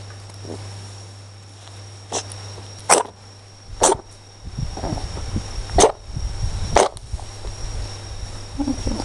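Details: Two-month-old Maine Coon kitten sneezing: about five short, sharp bursts spaced roughly a second apart, over a steady background hum with low rumbling handling noise and a person's voice nearby.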